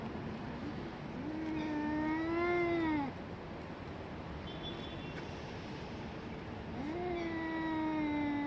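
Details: Domestic cats during a fight let out two drawn, nasal howls that swell slowly and bend downward at the end, separated by a roughly four-second lull with a steady low hum behind.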